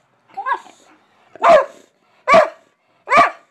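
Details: A big pet dog, a goofy boy named Heyoka, barks at home while being told to say goodbye; three loud, short barks spaced under a second apart follow a softer voiced sound at the start.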